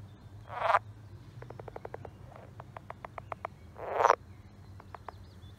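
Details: Pond frog calling: two bursts of rapid clicking notes in quick regular series, with two louder rasping broadband croaks at about one second and four seconds, over a low steady background hum.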